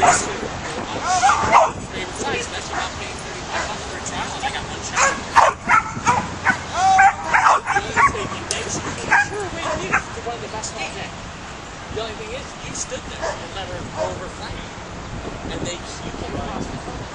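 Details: Young caramel-coloured Australian Shepherd herding sheep, giving sharp, irregular barks and yips in quick bursts, thickest midway, while a person talks over the activity.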